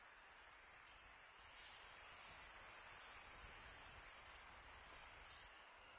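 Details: Crickets chirping through a peaceful summer night, a sustained piercing high-pitched tone, slightly pulsing, with light wind hiss in the background.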